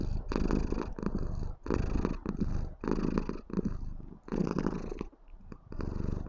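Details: A white female Maine Coon kitten shows affection to her owner with a steady, loud, deep rumbling purr.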